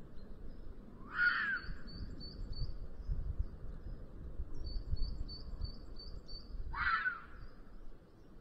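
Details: Red fox in heat, end of afternoon, Sierra de Guadarrama National Park, filmed by a vulture nest webcam. The 'chilla' comes as two coarse, shrieking cries about six seconds apart, with fast high-pitched bird chips and faint background hiss.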